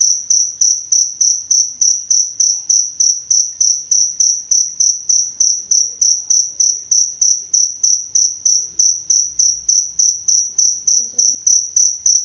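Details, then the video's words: Cricket chirping, played to tutor and soothe songbirds: a steady, high, shrill pulse repeating about three times a second without pause, each chirp swelling then fading, over a quiet background. "Suara Jangkrik Untuk Pemasteran Dan Terapi Burung Kicau"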